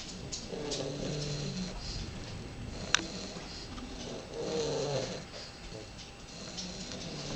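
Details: Baby English Bulldogs asleep near Houston, Texas, snoring with soft rasping, humming breaths at an uneven pace, plus a sharp click near the middle.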